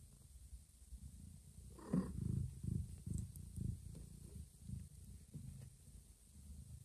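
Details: Domestic mother cat that recently gave birth to two kittens, carrying a newborn kitten to a hidden place; steady low rumbling purr pulses throughout, with a brief louder higher sound near two seconds.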